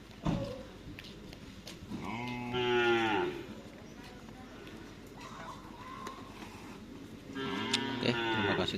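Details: Madura racing cattle of the Baong 99 team training at Lapangan Asemanis in Sampang ahead of a Kawedanan bull race: two rich, wavering lows about five seconds apart over a steady background of people and field noise.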